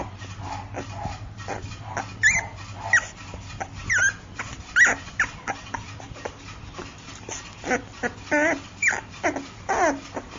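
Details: Chinese Shar Pei puppy making high, wavering whimpers and short yips, several bursts in the second half, over a low background hum.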